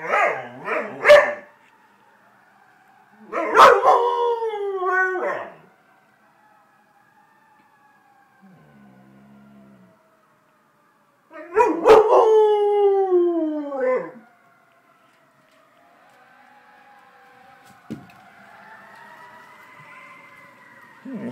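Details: Household dog howling in response to fire engine sirens, giving separate bursts of wailing, quavering howls with short yelps between long quiet gaps, while a faint siren rises and falls toward the end.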